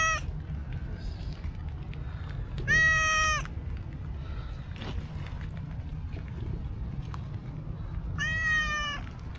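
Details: Stray cow-patterned cat approaching a person outdoors, giving sweet meows: two clear harmonic meows around 2.7 and 8.2 seconds, steady and slightly falling, over constant low traffic-like rumble and a few clicks.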